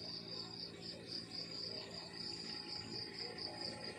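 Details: Morning countryside crickets give a shrill, fast-pulsed chirping, beat after beat in an unbroken high trill, with a faint low hum beneath.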